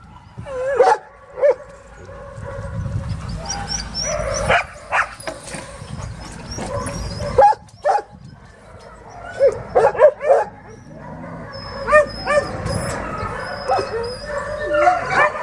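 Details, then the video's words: Dogs at a dog shelter give scattered barks and yips over a busy, noisy background, with bursts of overlapping calls and higher squeaky whines rising in the second half. "THE BARK ARK DOG SHELTER"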